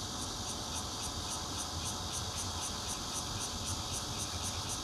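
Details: Shrill bear cicada song, Zhongli, Taiwan, 16 June 2013, recorded at home on the fourth floor with a Nokia Lumia 820: a harsh buzz pulsing about four times per second, steady and unbroken, over a low rumbling background.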